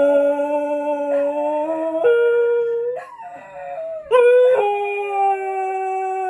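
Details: Four-year-old male Scottish Terrier from south London howling on his birthday, in key. Long, steady, harmonic-rich tones shift in pitch in abrupt steps, with a brief dip and a sharp rise near the end.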